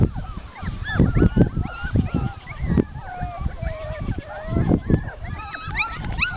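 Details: Several puppies at play in a yard give short rising and falling whines and sharp yelps, overlapping one another, with low bumps and scuffles from the romp underneath.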